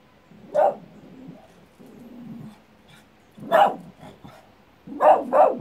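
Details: Dog barking at the echo of its own voice, giving three sharp barks, the last a quick double, with low murmuring background sound between them.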